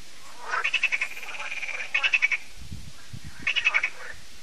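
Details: Croaking frogs at a French lake, Lac de Sabatte, in the evening: clusters of quick pulsed croaks alternate with a longer rattling note, and a few soft low thumps sound in a pause.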